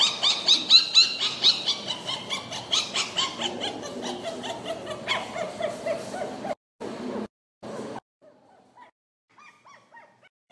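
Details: Purebred poodle giving sharp, high yapping barks repeated roughly twice a second for about six seconds, then falling silent apart from a few faint short sounds.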